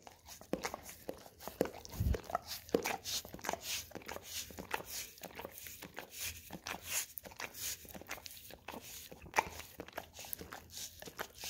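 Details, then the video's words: Pet Golden Retriever indoors licking an Orapup tongue-cleaning brush covered in peanut butter, producing rapid wet smacks and scraping clicks in irregular bursts, with a louder thump near the two-second mark in a small room. "Dog Licking Orapup Tongue Cleaning Brush - Golden Retriever"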